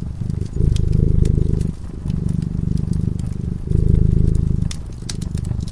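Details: A cat drifting into slumber before a warm fire purrs in a steady low vibration, its loudness cycling up and down every second or so, with crisp crackling of burning wood above the rumble.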